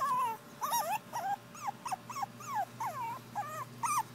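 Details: Two female Pekingese puppies whining: a run of short, high, arching whimpers and yips, each bending up then down, coming roughly every quarter to half second with brief pauses.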